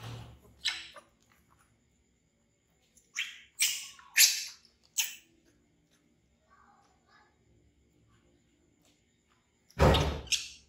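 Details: Screeching infant monkey named Bean, scared of a crocodile, letting out several sharp, high, harsh yelps in quick bursts, followed by a quiet stretch and a final loud scream over a low thump.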